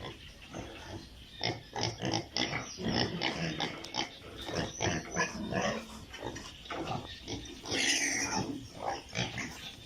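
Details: Busy piglet pen on a farm in Italy, with steady bursts of grunting and snuffling from several young pigs and a brief higher squeal near the end.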